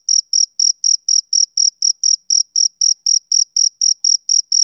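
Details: Steady chirping of a male cricket on a summer evening. Bright, shrill pulses arrive roughly four per second, each one short and evenly spaced, over an otherwise silent background.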